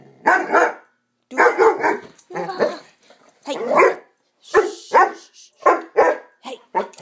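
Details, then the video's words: Swiss Mountain Dog puppy named Bower during one of his playful 'bad dog runs', giving rough, harmonic-rich barks and growly yaps in bunched bursts roughly once a second, separated by brief silences. "Swiss Mountain Dog Epic bad dog run"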